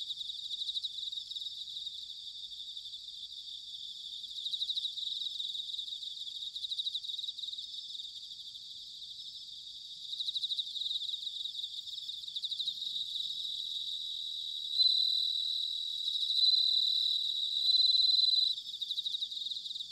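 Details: Bell crickets singing in autumn, recorded in Sanuki, Chiba, Japan, with a ZOOM H6 or TASCAM DR-05X: a dense, continuous high ringing chorus, pulsed and shimmering, with louder bell-like bursts swelling near the end.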